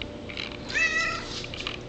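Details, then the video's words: Pet cat making her morning demands at home, perhaps asking for water: one drawn-out, wavering meow over a steady low household hum, with a person's voice close before and after. "Cat's Morning Demands"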